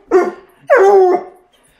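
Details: Female Bluetick Coonhound howling because she wants to go for a walk, teased with her leash indoors; a short yelp-like burst, then a longer, steady, wavering howl that fades, followed by near quiet.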